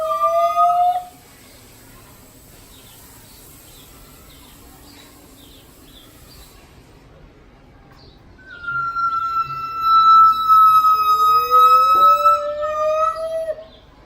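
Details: Gibbons singing at the Los Angeles Zoo, heard behind double netting: a brief pair of clear tones, several seconds of quiet background hum, then a long sustained whistle joined by a lower, gradually rising note.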